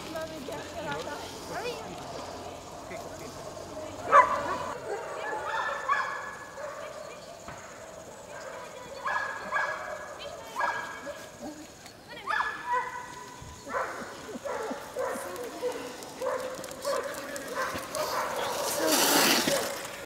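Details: Two Bohemian Shepherds, Boogie and Mája, pulling a kick scooter at the Radíkovský sprint 3/2015 race over 7.8 km in two stages. Excited, repeated barks and yips come in bursts among people talking, with a rush of wind noise at the end.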